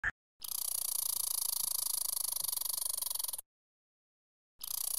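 A red squirrel gives a harsh, rapid rattling chatter lasting about three seconds, then starts again.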